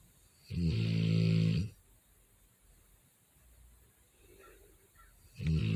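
A Rottweiler snores loudly, a deep rattling rumble on each breath with quiet pauses between.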